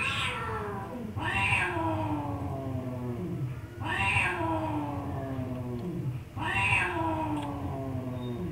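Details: Pet cat uttering a series of loud, harsh meows, each starting high and sliding downward, spaced roughly every two to three seconds, with low background rumble indoors.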